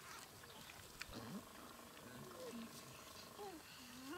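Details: Geladas in the Simien Mountains, Ethiopia, filmed October–November 2015, give short, tonal calls that rise and fall, some with a voice-like wavering quality.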